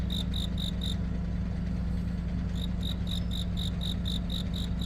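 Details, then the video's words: Cricket chirping on a deepening autumn night. Rapid high chirps sound for a second, pause briefly, then resume at about four per second. A deep steady hum like an idling engine runs throughout. "깊어가는 가을밤 🦗귀뚜라미🦗 우는소리"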